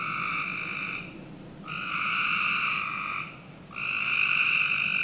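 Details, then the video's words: On a summer night in a Northern Virginia backyard, frogs give harsh buzzing trills of one to one and a half seconds, three bursts rising and falling in loudness over a constant faint hiss. "Frog Night 1"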